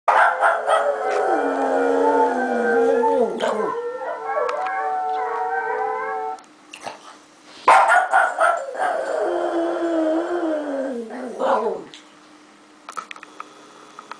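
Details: Japanese Chin named Angel howling at dogs on a computer: long wavering harmonic howls sliding down in pitch, two main bouts each lasting several seconds, with a sharp yelp between them and a quieter electronic tone beneath.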